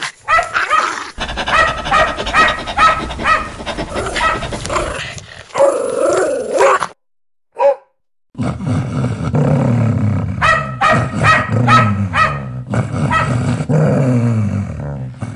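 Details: Aggressive house dog barking to protect its owner: rapid, harsh barks overlaid with a low rumbling growl-like layer, a short break of silence midway, then fast barking again over a deep background rumble.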